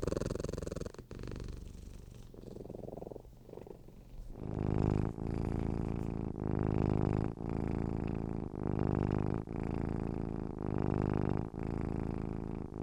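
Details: Domestic cat purr, a low rumbling drone; quieter and muffled for the first four seconds, then louder, close purring in regular pulses broken by short pauses at each breath.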